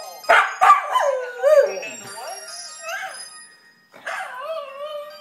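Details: Pet male Welsh Terrier howling along with its owner singing karaoke indoors; wavering, drawn-out tonal howls that rise and fall and blend with a human singing voice, and a woman praises him as a good boy.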